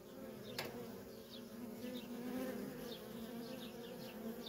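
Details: Busy flight traffic of worker honey bees at a feral wild colony: a dense, even humming drone, with a brief tap early on and faint thin descending chirps in the background.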